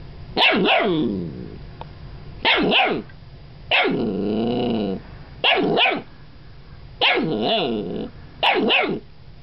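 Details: Playful Golden Retriever puppies barking: six sharp, yappy barks at irregular intervals, with a longer wavering whine-like howl in the middle, in a quiet setting.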